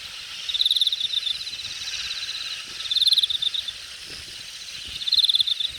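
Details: Grass insects in late summer grass at the Jamwon area of Hangang Park, Korea, August 2021: a high, pulsed trilling chirp about every two and a half seconds, over a constant shimmering hiss of more insects.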